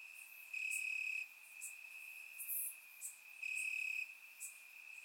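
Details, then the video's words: Warm summer night in Bulgaria with crickets chirping in the grass, surround-microphone recording; two loud half-second pulsed chirps over an unbroken high trill, with short accents between them. "Cricket Sounds - Crickets Chirping at Night"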